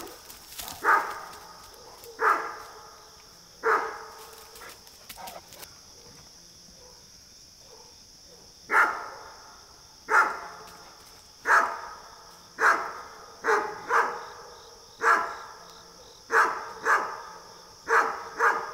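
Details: Great Dane barking at deer in its neighbourhood: a long series of about a dozen loud, gruff barks, at first spaced about one and a half seconds apart, then a pause, then quicker bursts, over a constant faint hiss.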